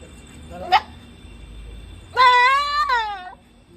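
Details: Goat giving a single wavering, nasal bleat about one second long, slightly rising then falling, after a brief sharp click; quiet indoor background otherwise.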